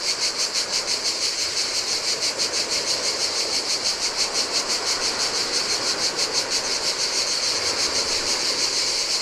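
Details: Cicadas in the heat by the sea on a Greek island, a bright, sizzling buzz repeated in fast, regular pulses near three per second, with soft ocean surf washing over sand in the background.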